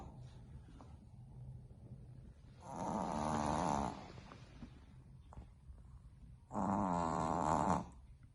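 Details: A sleeping female Boston Terrier puppy snores loudly, each rasping breath lasting over a second, nearly waking herself up.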